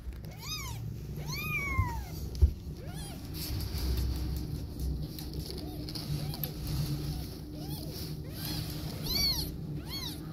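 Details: Domestic mother cat with her newborn kittens, cuddling, nursing and protecting them; several high, arched meows rising then falling, some in quick pairs, over a low steady hum.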